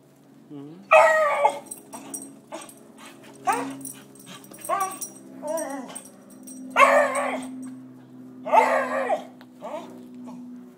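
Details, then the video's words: A beagle barks at squirrels, giving loud, ringing barks in short bursts, with a steady low hum and faint music behind. "Beagle Barking"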